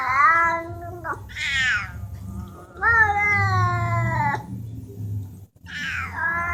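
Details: Domestic cats talking: a series of clear meows, some long and level, others short and rising, trading back and forth with brief pauses over a low background hum.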